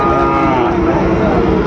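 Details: Sahiwal bull calf at a cattle market in Chattogram, Bangladesh, 24 October 2025: a steady, drawn-out lowing with stacked harmonics, partly under loud vendor talk and crowd chatter.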